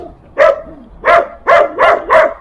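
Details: A young German Shepherd puppy in Irkutsk, Siberia, gives a quick run of sharp, fairly high-pitched barks at a passing stranger, with snow around.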